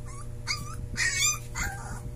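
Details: Puppy trying its first howl, giving three or four short, breathy, rising-and-falling yelping notes in quick succession above a steady low background hum.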